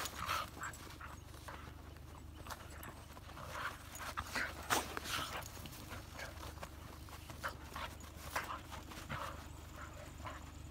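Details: Play, not a fight: a Hokkaido dog and a 13-year-old female dog at a dog run on New Year; irregular gruff growling bursts and panting huffs, several strong ones midway, over low rumble.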